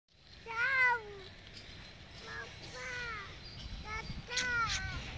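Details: Goat bleating, several wavering nasal bleats: a long one near the start, two shorter ones mid-clip, then a final pair, with a faint voice and low background rumble.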